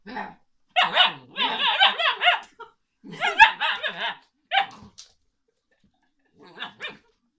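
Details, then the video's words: Alaskan Malamute puppy talking: bursts of harmonic, yodel-like howling barks and whines in rapid wavering runs, grouped in clusters with short pauses, then a few softer final yips near the end. "Alaskan malamute puppy talk"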